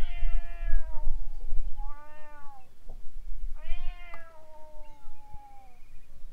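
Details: Feral cats fighting near a moored boat. Several shorter yowls rise and fall in pitch, some overlapping, ending in a long high wail that slowly drops. A dull rumble fills the low end, with faint clicks.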